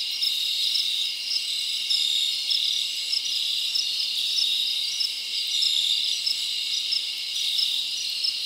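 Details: Summer forest crickets chirping after dark: a high, steady metallic trill over the whole stretch, with small pulsed chirps and slight surges in loudness every few seconds.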